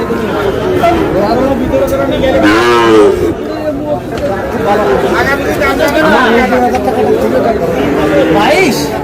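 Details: Sahiwal bull calves at a cattle market in Dhaka, Bangladesh, on 8 July; a drawn-out moo swells and bends in pitch around the third second, surrounded by steady chatter and bargaining voices of the crowd.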